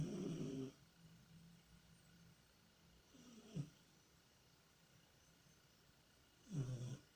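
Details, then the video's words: Tikhon, a pet cat, snoring and groaning in deep sleep while apparently dreaming and running in his sleep; three low, rough rumbling breaths roughly every three seconds, the first and last loudest, with quiet hiss between. "Кот Тихон храпит и куда-то бежит во сне"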